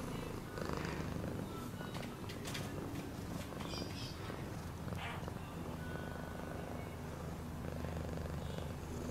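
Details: A cat purrs continuously, a deep vibrating drone with even pulses, while light ticks and soft scraping sounds come and go above it.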